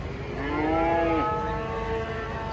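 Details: A big cow being unloaded from a truck gives one clear, rich moo that rises and then holds steady before fading, heard above a low background rumble.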